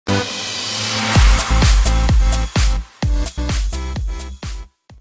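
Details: Electronic dance music with a steady thumping beat plays, with no animal sounds heard.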